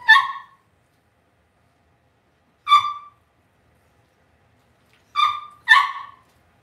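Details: Cavalier King Charles Spaniel puppies raised indoors in a home puppy pen, giving short high yelping calls with clear harmonics, four bursts spaced irregularly over several seconds against a quiet background.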